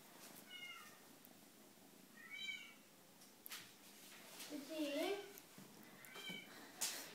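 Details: Seal lynx marble Bengal boy kitten, eight weeks old, meowing repeatedly: short, high, slightly falling mews at roughly two-second intervals, with a person's voice talking in the middle and light handling noises indoors.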